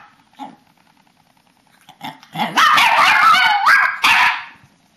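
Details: Pet papillons and a shih-tzu at their bedtime ritual in March 2007; after faint quiet sounds, a loud two-second burst of warbling howls and yips ends abruptly.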